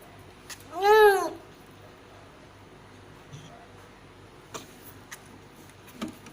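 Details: Domestic cat giving birth to five kittens of different colours: a single loud, drawn-out meow near the start, rising then falling in pitch with rich overtones, followed by quiet room sounds and a few soft clicks.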